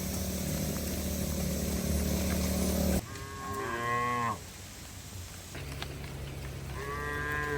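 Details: Cattle heading back to the shed during heavy rain; loud low rumbling noise at first, then two arched harmonic moos separated by a short pause, with rain noise behind.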